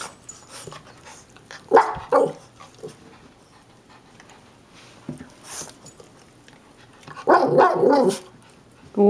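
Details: Gizmo, a black and white Shih-tzu/Maltese, and Kodi, a black and brown Yorkie/Maltese, at the door. Kodi is upset at getting no attention. Bursts of yappy barking come in clusters, with a loud flurry near the end and a woman talking between them.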